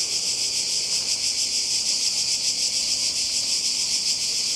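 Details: Seaside cicadas in Croatia on a 2020 summer holiday, a loud, even, high sizzling drone with quick fluttering pulses running without a break.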